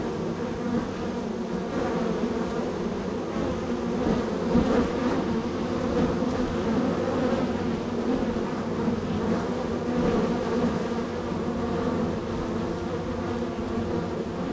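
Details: Honey bees busily arriving at and leaving hive number three on a very active day; a rich, sustained droning buzz of many wings, gently rising and falling in loudness over fourteen seconds.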